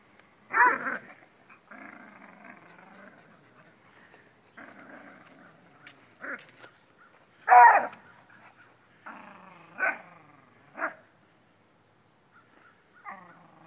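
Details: Beagle named Grunt playing tug with a rope alongside the neighbors' dogs, recorded on a Droid X phone; drawn-out rumbling growls in several stretches, broken by short sharp barks near the start, middle and end, with a person calling out once.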